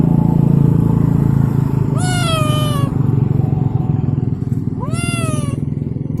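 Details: Abandoned street cat that keeps wanting to follow someone home lets out two long, clear meows, each rising then sagging in pitch, about three seconds apart, against a steady loud motorcycle engine drone.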